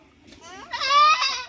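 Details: Goat being injected with vitamins gives one loud, strained bleat of about a second, rising then holding with rich wavering harmonics, after people talk and laugh nearby.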